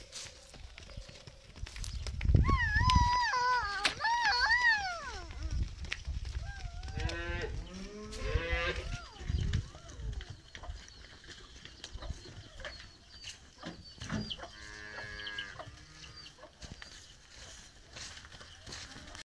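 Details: Cow that has given birth to a Belgian calf and is pregnant again by a Belgian bull, near Khemisset, Morocco, lowing in drawn-out harmonic moos, some rising then falling, around the third and eighth seconds, with fainter calls later over rough farmyard background noise.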